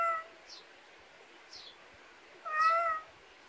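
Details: Pet cat raised in the Korean countryside, in a rural backyard, gives a short meow, then after a pause a longer, clearer harmonic meow. High, quick descending chirps repeat about once a second behind it in quiet surroundings.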